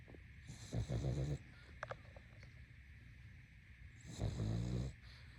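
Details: A sleeping pug snores in two rough, rattling, low-pitched breaths, each lasting under a second and about three seconds apart, against a faint steady background hiss.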